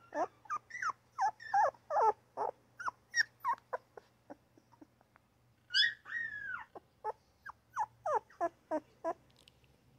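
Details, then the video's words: Newborn puppy crying and yipping in quick, uneven bursts of short high squeals, many sliding downward, about three per second, with a longer louder wail near the middle and a faint steady low hum underneath. "Newborn puppy crying, yapping and grunting!!"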